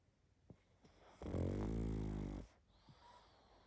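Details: Pug asleep and snoring hard, giving one long, loud, rattling inhaled snore lasting over a second, preceded by a few soft clicks and followed by quiet breathing.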